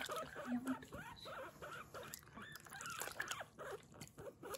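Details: Pet guinea pig Kurumi being washed in a bath, giving short rising-falling squeaks in quick bursts, mixed with soft human voice and water splashes.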